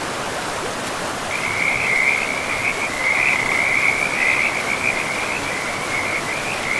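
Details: A frog by a forest river in pristine, moss-covered woodland gives a long, high, continuous pulsing trill that starts after a second and runs to the end, over a steady wash of flowing water.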